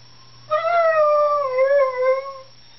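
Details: Pet dog howling along with sirens heard outside: one long tonal howl with rich harmonics, starting high, sliding gently down and wavering for about two seconds, over a steady low hum.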